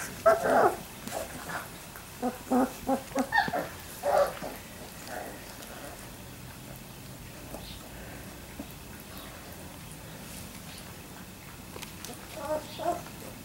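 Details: Labrador Retriever puppies at three weeks old give a quick run of short whimpers and yelps over the first four seconds, then quiet, before a few more soft squeaks near the end.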